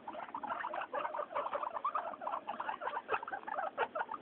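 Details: Floor time for three happy pet guinea pigs named Mayumi, Archie and Miyuki; quick run of bright, short squeaking notes in close succession, several animals calling at once.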